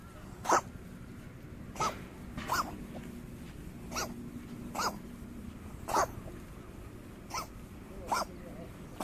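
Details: Stroked stray cat coughing in uneven fits: short, explosive rasping hacks separated by one to two second gaps, some louder than others, over a quiet background murmur.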